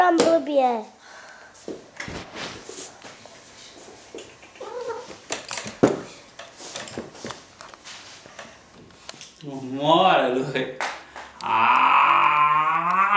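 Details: Tom cat Romeo lets out a drawn-out, bending meow near the end, followed by a sustained higher wail. Before that come scattered clicks, bumps and quiet Italian voices.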